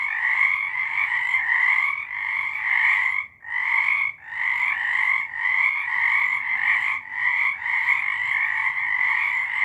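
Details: A night chorus of many frogs in March 2023, with rapid pulsing croaks layered into a steady, shrill wall of sound. A clear gap falls near the third second and another around the fourth, then the chorus resumes at full strength.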